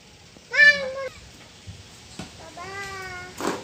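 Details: Pet cat meowing while eating fish, two drawn-out harmonic meows about two seconds apart, the second longer and gently falling, with clicks and a faint human voice in a small room.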